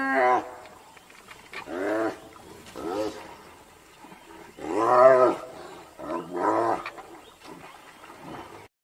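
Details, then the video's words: Hyena calls during an attack: a series of loud, harmonic yelping bursts with falling pitch, spaced about one to two seconds apart, the strongest near the middle, with fainter calls trailing off at the end. "Hyena Attack Hyena"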